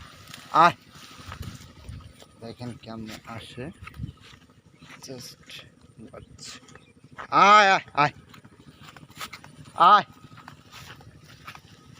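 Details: Goat on a goat farm giving three loud, wavering, quavering bleats spread across about twelve seconds, the middle one longest, with quieter human voices and scattered knocks filling the gaps between calls.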